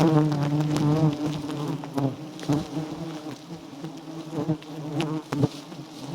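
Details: A colony of wild giant honey bees on a small nest with abundant honey. It makes a strong, even hum that fades slightly midway, with brief tapping sounds.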